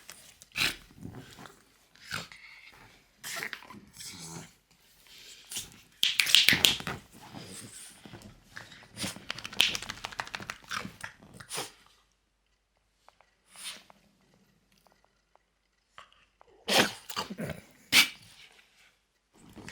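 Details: French Bulldog called Loki indoors, producing peculiar noises: breathy snorts, wheezes and short whimpering sounds in irregular bursts, a quiet gap midway with a faint low hum, then a few sharp snuffles near the end.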